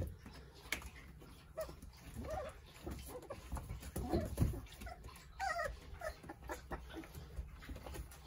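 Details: Jindo puppies, nine littermates with their mother Sarang, at play; scattered short high whimpers and squeaky yips come in small clusters between scuffling and padding noises, with faint voices in the background.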